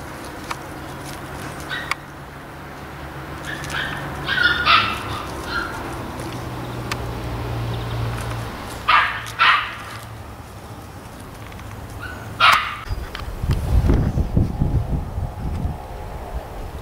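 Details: Alpine Poppy, a Keeshond puppy born 26 December 2011, lets out scattered sharp yapping barks, some in quick pairs, over a steady low hum, followed near the end by a burst of low rumbling handling noise.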